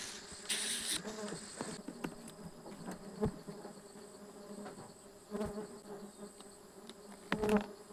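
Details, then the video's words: Stingless bees buzzing in bursts as honey is taken from their nest on 24 June 2026, a low humming drone swelling and fading, with scraping and tapping noises throughout. "Harvesting stingless bee honey"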